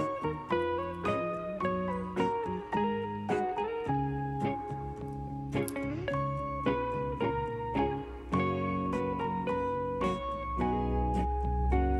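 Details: Plucked guitar music plays steadily with repeated notes and no animal sound.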